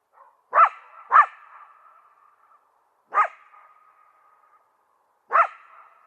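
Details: Coyote barking: four sharp, echoing barks, two close together and then two spaced a couple of seconds apart, each followed by a fading reverberant tail.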